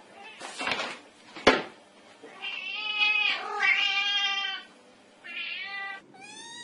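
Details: Black kitten, cute and mischievous, crying in a room: a couple of sharp knocks or bumps, then long drawn-out meows, a shorter mew and a final clear meow.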